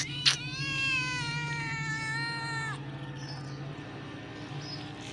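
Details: Kittens meowing together; one long drawn-out harmonic meow lasting over two seconds, slightly falling toward its end, over a steady low hum and faint background noise.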